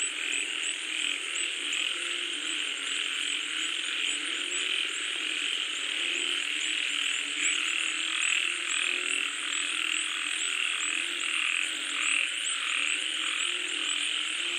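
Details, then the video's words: Frogs calling while rain falls, a dense, steady chorus with pulsing croaks rising above a continuous high hiss, roughly eighty-five irregular repeats a minute. "SUARA KODOK | Suara Katak Saat Hujan Turun"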